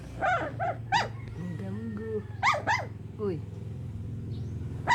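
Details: Sleeping puppy giving a run of high, squeaky whimpers and short yelps in quick irregular bursts, with a soft lower wavering whine between them over a steady low hum.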